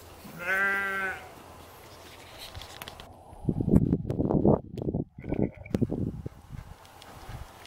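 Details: With a stag, hinds and fawns showing protective, fight-or-flight behaviour, a red deer gives one short, nasal, bleating call, followed by rustling and crunching movement.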